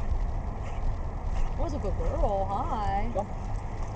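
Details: Ava, a swimming Pit Bull nicknamed Arfing Ava, playfully attacks the water as she swims, letting out a string of short, rising-and-falling yelping barks over a steady low rumble of water and wind.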